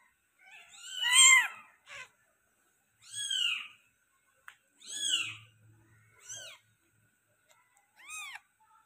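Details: Meowing Persian cat during the birth of five kittens: five loud, drawn-out meows that rise then fall, spaced roughly a second and a half apart in a quiet room.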